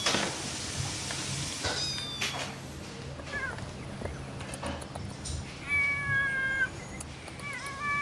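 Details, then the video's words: A playful domestic cat gives a series of meows. Faint short cries come first, then longer steady meows later, against a hissy background with brief clatter. "Mèo kêu meo meo Chú mèo tinh nghịch Tiếng mèo kêu"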